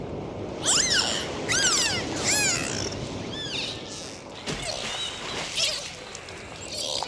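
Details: Several dolphins whistling underwater, each whistle a quick rising or arched sweep repeated in short bursts about a second apart, followed by a sharp broadband crack and fainter whistles over constant water noise.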